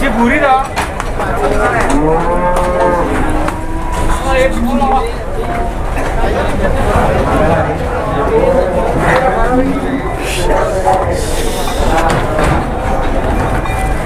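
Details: Cattle rampaging while being unloaded from a truck, with several rising moos in the opening seconds over constant crowd noise, clanks and human voices.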